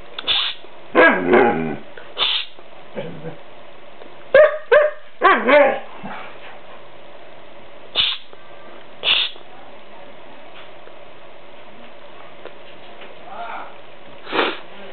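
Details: Eleven-month-old white Siberian Husky male, vocal and rarely barking, arguing with his owner indoors: wavering, yodel-like howling 'talk' in bursts, then short woofs and whines spaced seconds apart, with a person shushing.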